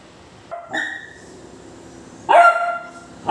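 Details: Basset hound giving two short barks about two seconds apart, the first soft and brief, the second louder and harsher, over low background hiss.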